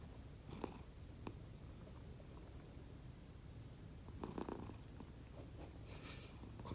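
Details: Two rescued domestic cats, Konbu and Myun, snoring while asleep indoors, a sound unlike their usual purring: a low, steady rumble with scattered soft clicks and brief breathy bursts, quiet room background.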